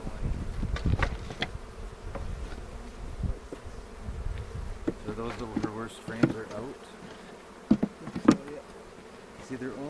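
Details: Honey bees buzzing during a 360-camera hive inspection near Cochrane on April 27, 2018. A low colony hum sits beneath loud clicks and knocks from frames, with brief human voices partway through.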